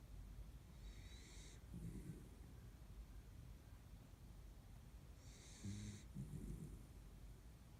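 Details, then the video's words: Kaninchen dachshund fast asleep in a midday nap by the window, a household with three dachshund sisters: two slow breathing cycles, each a soft airy hiss followed by low rumbling snore bursts, about four seconds apart, in a quiet room. "カニンヘンダックスフンド いびき"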